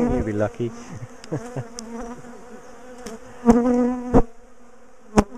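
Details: Bees of a big, defensive colony hum steadily while their top bar hive is dismantled for moving, the even buzz broken by sharp knocks and clunks of handling and a few spoken sounds at the start.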